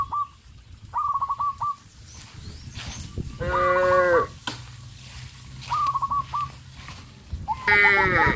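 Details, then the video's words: Frightened farm cows in a village, running into the forest, utter two full harmonic moos, the second rising in strength, between short rolling trills of birds and a low background hum. "The cows ran in fear into the forest, sound of cows"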